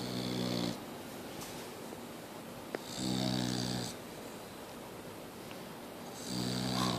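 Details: Mia the Boxer dog keeps snoring: rhythmic rumbling snores roughly every three seconds, each about a second long, deep and buzzy with a breathy hiss on top, quiet pauses between.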